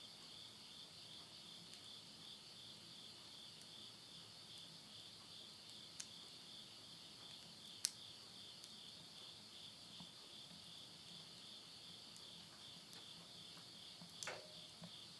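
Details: Night insects in rural Tottori, Japan, in September 2020 at midnight: a high sustained droning trill runs through, punctuated by loud cracks and pops of firewood burning in a stove, one near the end.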